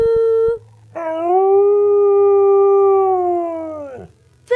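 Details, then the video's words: A pet Siberian Husky talking and singing for its owner: a short tone, then a long, smooth, sustained howl about three seconds long that falls at the end, with the owner praising it and faint music. "Siberian Husky Talking"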